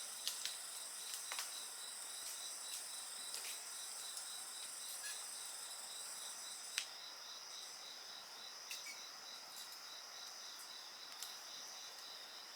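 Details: Night insects by a campfire keep up a dense high-pitched ringing, one voice beating in quick regular pulses, while occasional soft snaps of burning wood sound through.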